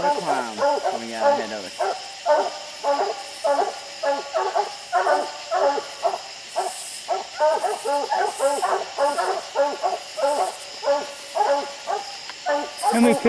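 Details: Coonhounds barking on a tree holding raccoons high on a steep hillside, with six raccoons seen at night; a long unbroken stream of rapid barks from several dogs, over a steady high insect drone.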